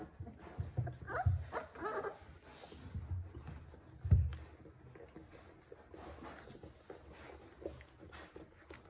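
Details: Hovawart dog indoors in a small room, giving a few soft whimpers and a short low bark near the start and around the fourth second, then quieter shuffling sounds.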